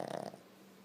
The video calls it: Snoring Boston Terrier Dog